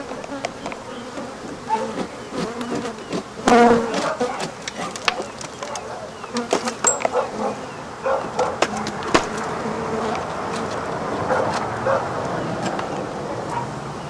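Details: African honey bees swarming as the rest of their hive is removed and the colony killed: a dense, steady buzzing hum with individual wingbeat tones weaving through it, broken by sharp knocks and scraping from the removal work.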